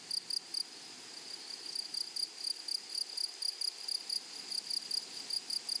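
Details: Short, shrill double chirps from grasshoppers in a flowery meadow, repeated roughly three times a second, with gaps early on and then a steady even rhythm against quiet surroundings.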